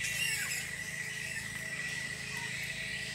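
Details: A colony of roughly a thousand bats in a tropical park on Queensland's Sunshine Coast, Australia, noisiest in the evening. A dense, unbroken wall of shrill squealing chatter fills the clip, with an undertone of steady low background hum.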